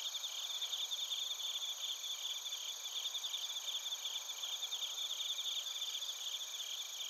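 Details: Night insect chorus of crickets and bell crickets from Narita, Chiba, Japan; bright, high, tinkling pulses in several parallel bands, irregular chirps about two or three per second over a constant shimmer.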